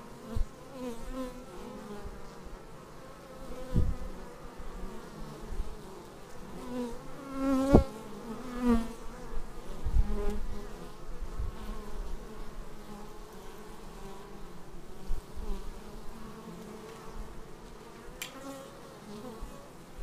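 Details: Bees arriving at a beehive, filmed on a Xiaomi Yi action camera: a steady low buzzing hum with stacked harmonic bands, swelling as individual bees pass close, with brief louder drone sweeps around the middle.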